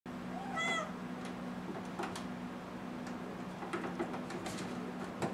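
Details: Six-month-old kitten meowing because it wants to go outside: a single short harmonic meow near the start, then scattered clicks and taps over a steady low indoor hum.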